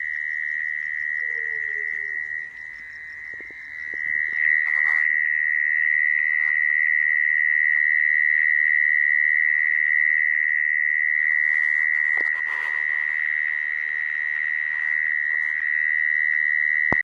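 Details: Call of a mole cricket used for trapping crickets, a loud continuous high trill at one steady pitch, interrupted by several handling knocks and clicks, growing slightly louder after the first few seconds.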